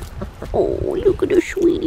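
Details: Whining of a blue merle male Australian Shepherd puppy from a registered litter at Fifteen Acre Farms, Oklahoma: a drawn-out, wavering cry followed by two short whimpers, with a woman speaking softly over it.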